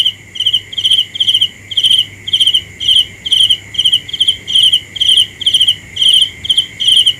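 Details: Cricket chirps at night, high and buzzy, each a tight burst of rapid pulses, evenly spaced a little over two per second against a steady insect hum.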